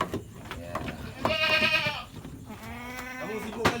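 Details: Penned goats at a fattening farm in Lhokseumawe, Aceh, Indonesia; two wavering, buzzy bleats, the first loud and bright, the second lower and longer, over faint background talk and farm noise.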